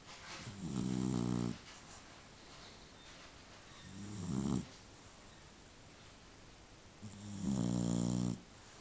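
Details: Dog snoring while asleep: three drawn-out, low, rumbling snores with stacked harmonics, each lasting about one second and spaced roughly three seconds apart, with quiet breathing between them.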